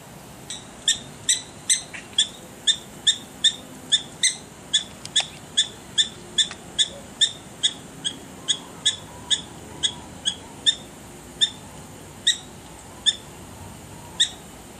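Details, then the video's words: Prairie dogs give a long run of sharp, high, chirpy barks, about two or three each second. The barks warn others in their community of impending danger. "Prairie Dogs Barking"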